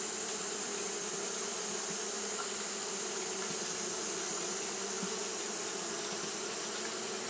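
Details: Japanese honey bees fanning continuously on a hot day: a steady, dense low hum with even droning tones, unbroken throughout, over a constant high hiss.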